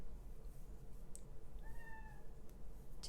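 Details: Young male kitten outside that wants in but cannot, one faint, drawn-out falling meow midway, with soft clicks and a steady low hum in the quiet room.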